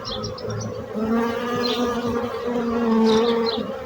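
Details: Bees buzzing in a steady, droning hum that swells and fades as they move close, with brief high chirps from birds in the background.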